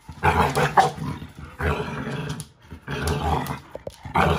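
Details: American Bully puppy, five months old, growls while tugging a toy from a five-year-old AmStaff during play; rumbling growl bursts roughly every one and a half seconds, each swelling then fading.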